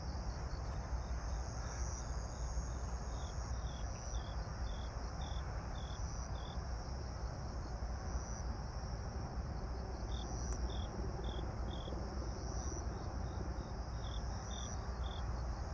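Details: Evening grass insects, 26 September 2022, 18:46, pink night sky: a continuous high whine joined by bursts of quick pulsed chirps, about two per second, that pause and resume, over a constant deep rumble.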